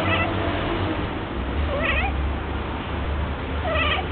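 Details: Female domestic cat in her first heat, giving three drawn-out, wavering meows spaced about two seconds apart, partly buried under a steady low rumbling background noise.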